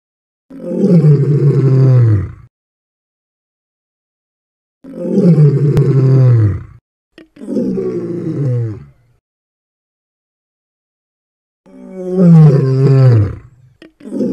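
Deep, rumbling lion roars come in a loose series, each a powerful, falling groan about two seconds long. Short pauses separate the calls, and the last ones sound rougher and more broken.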